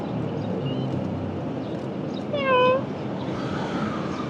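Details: A single drawn-out cat meow, arched and harmonic, sounds midway through a short indoor recording over a low background hum; nothing else is clearly heard.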